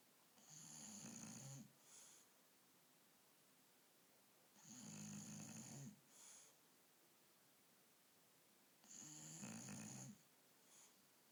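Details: Asleep on a bed at night, the female dog Akira snores steadily: three long, rattling snores roughly four seconds apart, each carrying a high whistling tone and a brief soft puff of breath after it.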